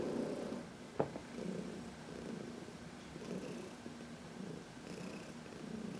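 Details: Contented purring from Heidi, a senior cat adopted from the Humane Society of New York City, during a sunny massage on March 19, 2021; low rhythmic rumble in breath-paced waves, with one sharp click.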